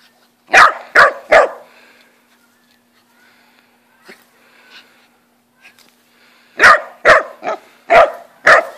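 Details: Corgi out on a walk in a new harness gives three sharp, quick barks, falls quiet for several seconds apart from faint shuffles, then fires off a run of five more barks roughly half a second apart; steady low hum underneath.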